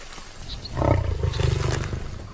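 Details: In the Gir Forest, India, a wild male Asiatic lion resting for the day, tracked by a researcher, gives a deep, rumbling roar lasting just over a second.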